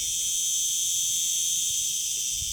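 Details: A chorus of cicadas in the arid, rocky Zaghouan mountains of Tunisia makes a shrill, strident buzz in successions that rise, stop and start again.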